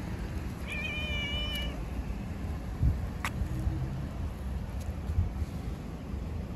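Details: A stray tabby cat outdoors in the street gives a single drawn-out, slightly falling meow over steady street rumble, wanting attention and to be stroked.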